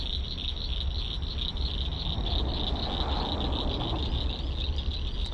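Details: Frog mating chorus at an urban drainage creek while fishing: a continuous, high, fast-pulsed trill throughout, with strong low-frequency rumble underneath.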